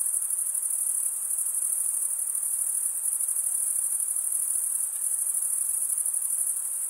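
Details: A steady, high-pitched cricket chorus forms a continuous shrill band of rapid chirps. The level barely varies and there are no gaps, with nothing else audible.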